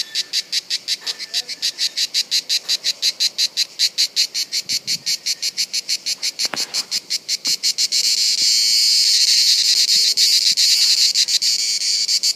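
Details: Cicada song recorded at Bollène on 7 July 2015 during reproduction. Rapid buzzy pulses repeat for about eight seconds, then fuse into one loud, continuous, high-pitched rasping drone.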